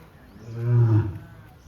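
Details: Lion at Siddharth Garden and Zoo, captive, recorded on a mobile phone on 27 March 2026; a single deep, low rumbling roar swelling and fading over about a second, with faint background chatter.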